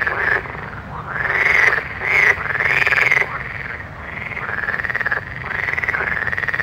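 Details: Night frog chorus of buzzy, trilled croaks, each swelling up and dipping back down over roughly a second, several voices overlapping in quick succession over a low, steady background hum.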